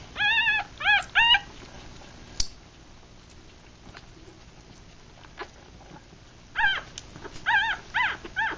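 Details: Three-day-old Rat Terrier and Chihuahua cross puppies, six in the litter, eyes still closed, feeding; short arched whimpering squeals in two bursts, three cries at the start and a cluster near the end, with soft rustling between.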